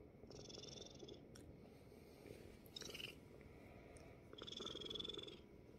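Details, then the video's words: Korean Shorthair kitten rescued from a construction site purrs on dad's belly; a soft rumbling purr sits under louder intermittent high whining and rustling noises. "아빠 배 위에 와서 골골골.."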